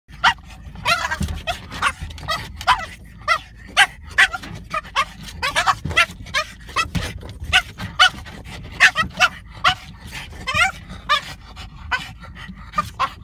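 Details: French bulldog attacking a car's rear windshield wiper, giving rapid short yapping barks and snorts in quick bursts, about one to two per second, with a low rumble of background noise throughout.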